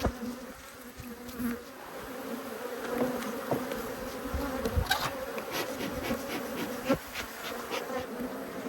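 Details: Angry honey bees swarming at a beekeeper's gloves during a hive inspection in Australia: loud, fluctuating buzzing with individual bees zipping close past, and scattered thumps and clicks of handling.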